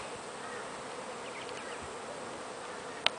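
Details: Continuous busy droning of many wild bees at a very large natural hive near Brisbane, Queensland, Australia. The hum holds even throughout, ending with a sharp click.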